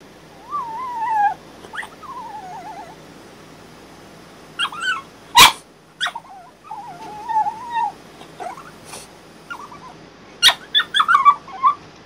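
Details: Female French Bulldog named Bailey, ten days after back surgery and confined to a crate, voicing her dislike of it: drawn-out wavering whines that slide downward, broken by a few sharp yelps, with quiet gaps between outbursts.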